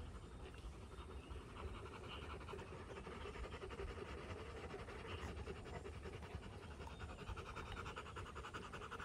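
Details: Rapid, even panting from a Rottweiler of a Rottweiler family after fighting, day 59. The breaths run as a dense, steady rasp for the whole stretch, with faint rumbling in the background.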